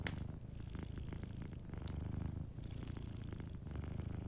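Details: Gentle purr of a cat asleep near a crackling fireplace, continuous low rumbling in slow in-and-out waves, a bright pop from the fire at the opening and another shortly before the two-second mark.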